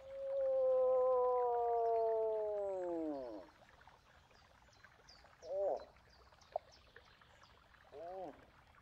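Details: Moose giving one long, steady, harmonic moan that bends downward and fades after about three seconds, followed by a few short, faint calls; light bird chirping is audible in the background.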